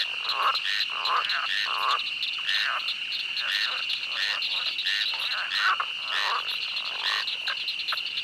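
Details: A chorus of frogs croaks in a swamp at night over a steady high insect-like trill.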